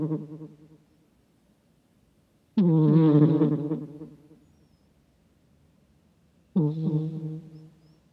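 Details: Snoring from a sleeping pet cat, captured with a microphone and compared to an old man's snore: the fading end of one breath, then two rough, rattling low snores about four seconds apart, with silence between.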